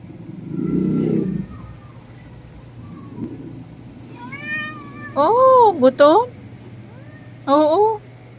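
A Persian cat meows insistently for food, each call a loud, wavering cry that rises then falls. A person speaks softly beforehand, and quieter mews lead into the louder ones.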